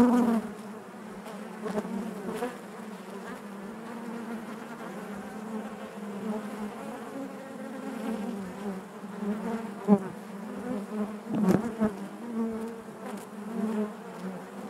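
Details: Honey bees buzzing inside their hive: a dense, steady hum with a strong low drone and stacked overtones, swelling and easing, broken by brief louder passes as single bees fly close to the microphone.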